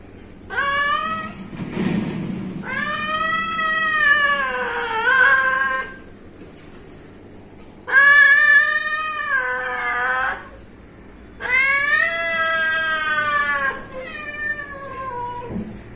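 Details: Domestic cat giving long, plaintive meows, three or four wavering calls each lasting two to three seconds, separated by short pauses, with a brief low thump early on; otherwise quiet room.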